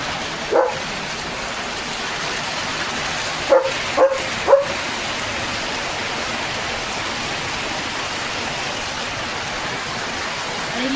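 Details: Leo, a pet German Shepherd, barking at the start of rain: one bark, then three short barks in quick succession about half a second apart, over a steady hiss of heavy rainfall drumming on a roof.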